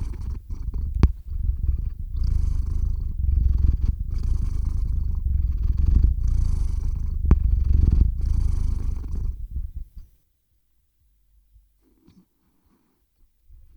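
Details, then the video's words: Theo the cat purring close to the microphone while falling asleep, recorded on a RODE NTG-3 with a ZOOM H6: a steady, deep rumbling purr with rhythmic breath pulses for about ten seconds, then near silence. "Кот мурлычет на микрофон и засыпает/The cat purrs on the microphone and falls asleep"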